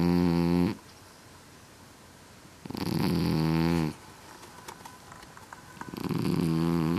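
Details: Basil Farrow, a pet Scottish Fold cat with folded ears, snoring loudly indoors: long, low, droning breaths with rich buzzy harmonics, three snores spaced about three seconds apart with quiet pauses between them.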